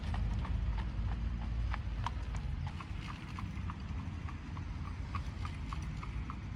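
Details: Hooves of a horse drawing an Amish buggy, Lancaster, Pennsylvania, autumn 2025: crisp, ringing clip-clops about two per second, slightly irregular, over a heavy low grinding of buggy wheels.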